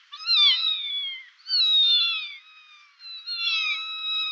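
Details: Cat meowing, from a Kazakh children's educational compilation of meowing cats: three long, high, thin wavering mews of about a second each, separated by brief pauses.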